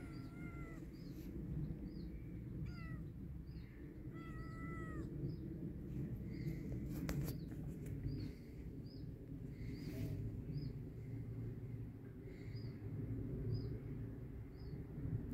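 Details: Kitten out in a yard during rainy weather, meowing in short, bent calls several times in the first five seconds, then quieter, with a steady series of high, thin chirps repeating throughout and low background rumble.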